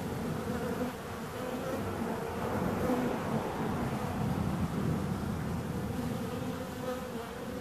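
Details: Dense buzzing of bees, a constant droning hum with wavering tones from several insects overlapping, fairly loud and even throughout.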